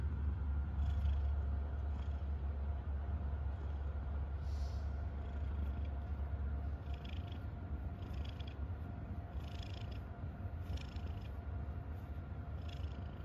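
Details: Happy domestic cat purring: a deep, even rumble sustained throughout, with soft intermittent rustling or breathy hiss sounds above it.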